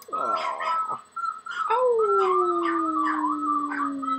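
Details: Puppy dressed in army gear sings along to a flute, whimpering briefly and then giving one long howl that sinks slowly in pitch while bright flute notes trill above it.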